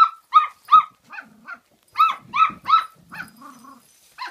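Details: Kooikerhondje puppies at 48 days old from Kennel Duckhills in Sweden, giving rapid high-pitched yips and short barks, several in quick bursts with brief pauses, and a low soft growl between them.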